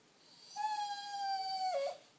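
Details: Seven-month-old pet bulldog indoors, told to go to bed, answering with one long, steady, high whining howl lasting over a second that dips at the end.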